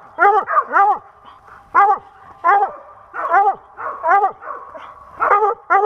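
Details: Squirrel-hunting dog in Pennsylvania, 2021, giving loud, ringing barks in irregular bursts of one to three, each a short arched yelp, with brief pauses between groups and no other sound standing out.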